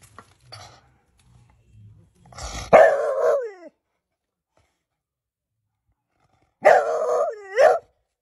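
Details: Dog stuck in a gate hole giving two drawn-out, wavering whining barks with falling tails, about four seconds apart, after some faint scuffling.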